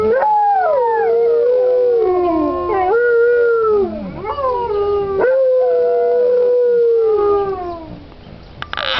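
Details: Chorus of Alaskan Malamutes at Indian Creek Malamutes, long drawn-out howls that glide downward and rise again in swoops, multiple voices overlapping before fading toward the end with a brief knock.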